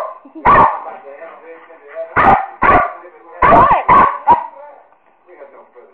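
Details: Two pet American Eskimo Dogs barking, a series of sharp loud barks, some in quick pairs, with softer whines and vocal sounds between them.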